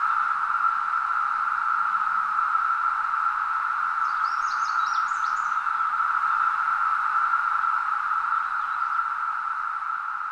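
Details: Continuous mating call of a cicada recorded in summer in Nova Scotia: one unbroken, even, mid-pitched drone throughout, with a short burst of faint high chatter midway.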